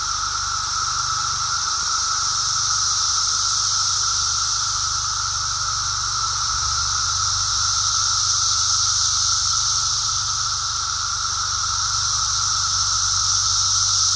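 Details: Continuous chorus of emerging Brood X periodical cicadas recorded while walking, a constant drone layered under an intense buzzing shimmer, with no pauses and only slight swells in loudness.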